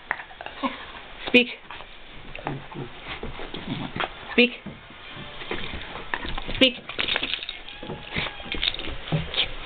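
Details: Five-month-old basset hound barking at his brother, a beagle, to show him who is boss: three sharp, loud barks spaced roughly two seconds apart, with people talking throughout in a small indoor room.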